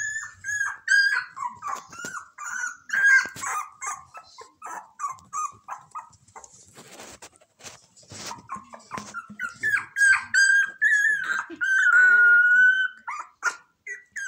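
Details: Persistent whining from a Shiba Inu puppy, the littlest of three brothers: a long chain of high, wavering whimpers and squeaks, some yelping, one sustained keening whine near the end, with occasional clatter and rustling.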